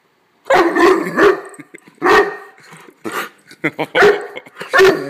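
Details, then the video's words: Lincoln, a pet dog, barks on his birthday, a series of deep, separate woofs, about five or six over five seconds, mixed with the owner's cheerful talk between the barks. "Lincoln Big Boy Bark"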